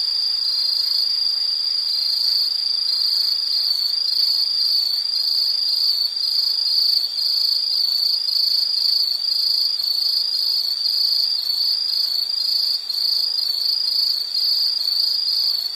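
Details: Insect trilling at a high, steady pitch, the sound broken into regular short pulses about every half second, with fainter higher overtones above.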